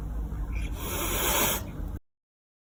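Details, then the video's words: A domestic cat gives a sharp, breathy, snake-like hiss, a warning to back off when it feels threatened, scared or wants to be left alone. "The hiss is probably the most unmistakable cat sound."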